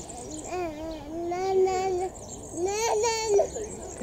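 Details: A family group of lar gibbons, monogamous forest-canopy dwellers, gives clear hooting calls that swoop up and down in pitch.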